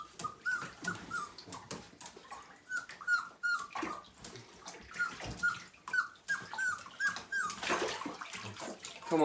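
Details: Five-week-old Siberian Husky puppy, one of a litter of nine, during its first bath: repeated short high whimpers and squeaks, some with faint harmonics, over splashing water and broadband bathroom clatter, with occasional human speech.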